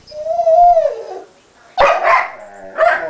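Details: Sombra the dog cries over a guarded chew bone that Decker has a small piece of; a high, wavering whine first rises then falls, followed after a pause by two harsher, broken whimpering bursts.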